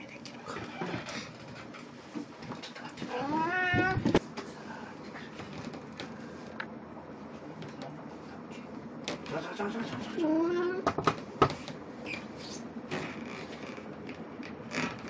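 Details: Pet cat Puran in Snow White cosplay on 1 April 2017 utters two drawn-out meows, each rising in pitch, half-buried under steady room noise and human voices.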